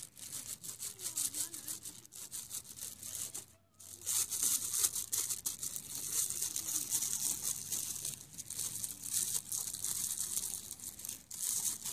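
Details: Only steady, scratchy high-pitched noise like rubbing or brushing is heard, with a brief drop out partway through and no clear animal call.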